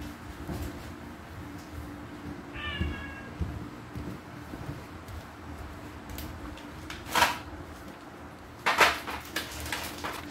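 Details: Domestic cats squabbling while waiting for breakfast; one short harmonic meow that bends slightly downward, surrounded by clicks, knocks and a steady low indoor hum.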